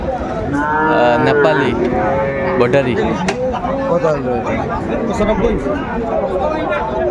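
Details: Sahiwal bull calves at a crowded market on 28 December 2024, bought by a farmer from Gazipur: repeated wavering moos, several overlapping in quick succession, amid loud talking and clattering background noise.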